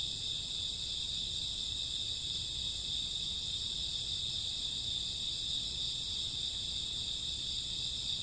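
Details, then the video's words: Crickets and grassworms on a summer or autumn night, chirping in a dense, unbroken high-pitched chorus made of several stacked shrill bands that hold steady throughout, over a faint low rumble. "Cricket sound 2 hours, summer autumn night grassworm lullaby"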